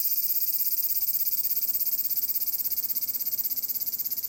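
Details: A large brown cicada sings on Tanegashima, Japan, at Magarikawa in Furuta, Nishinoomote, on 30 July 2022. Its rapid, pulsing sizzle stays level at first, then the beats grow more distinct and the sound slowly fades toward the end.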